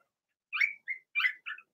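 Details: Cavalier King Charles Spaniel puppies, Blenheim, two girls and four boys whelped in March, in an indoor puppy pen; a few sharp, high squealing whimpers, two longer and two shorter, in under two seconds.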